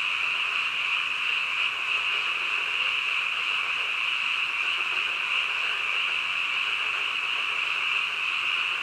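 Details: Night-time frog chorus: a thick, steady, high-pitched trilling drone from many frogs calling at once, even in loudness from start to finish, with a soft lower murmur below.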